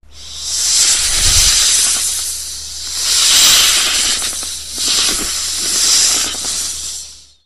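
A snake hisses in three long, breathy bursts of high, airy noise.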